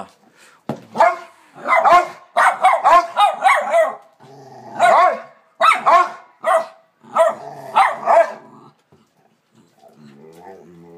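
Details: Two pet dogs barking up a storm: a rapid run of loud, sharp barks in overlapping bursts, pausing briefly around the four-second mark, then more clustered barks before fading to quieter sounds near the end.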